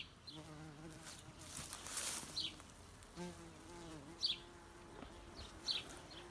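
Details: Bumblebee droning in two buzzing bouts, the second steady and about a second and a half long, while birds give brief high chirps nearby.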